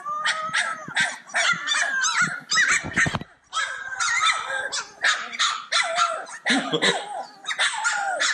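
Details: Cane Corso puppies playing together, a bunch of them yipping at once: dense overlapping high yelps and squeaky barks in quick bursts, with a short harsher growly scuffle near the three-second mark.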